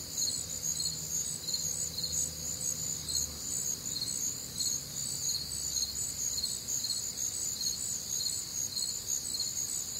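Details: Crickets with other nocturnal sounds on a warm, humid Midwestern summer night: a dense, shrill chorus of rapid pulsed chirps in bands at several high pitches, continuous throughout, with a faint low hum beneath.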